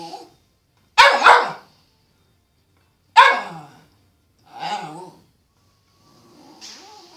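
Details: Cairn terrier. A Cairn terrier barks in short, bright bursts, two sharp yaps followed by a softer, more tonal bark. A faint, thin whine trails off at the end.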